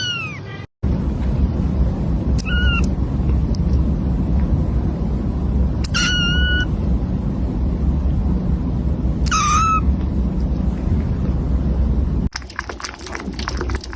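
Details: Kitten giving three brief high meows spaced about three seconds apart over steady low rumbling noise, with a burst of clicking at the end.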